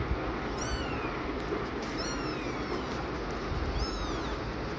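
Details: Newborn kittens with their tired, panting mother cat, who keeps returning to check they are safe and warm. Three high, thin mews, each bending down in pitch and spaced about a second and a half apart, over constant low rumbling noise.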